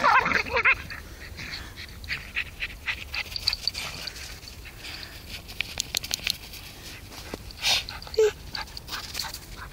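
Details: Herbie, a Border Terrier stud dog, romping in snow on Werneth Low with great aunt Phi; a brief high whine at the start, then snow crunching and scattered movement noises.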